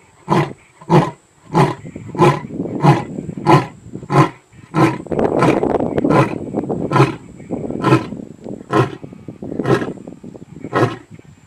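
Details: A lion at Madikwe, South Africa, gives a series of loud, deep, throaty grunting roars, about one every half second.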